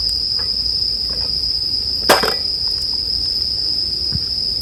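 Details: Bell cricket chirping in a steady, high, ringing tone that never breaks, with a loud crackle and pop from a campfire near the two-second mark and scattered smaller snaps.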